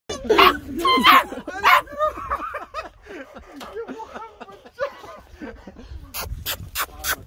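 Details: An excited German Shorthaired Pointer, eager to go hunting, whines in high, wavering, rising-and-falling tones with a few sharp barks.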